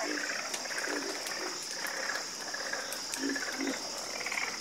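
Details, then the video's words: A dense frog chorus of overlapping rattling croaks and a few low, deeper croaks, set against a steady high-pitched drone. "Calming Sound Of Harmonious Frog Croaking"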